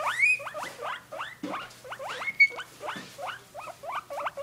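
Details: Pair of guinea pigs in their cage calling excitedly: repeated upward-sweeping squeals, some reaching a thin high whistle, spaced irregularly about twice a second, with occasional soft knocks.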